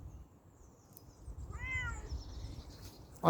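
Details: Bengal kitten out on a walk outdoors gives one short, high, slightly arching meow with rich overtones, lasting about half a second; faint bird chirps sound high above and a low rustling, breezy background runs throughout.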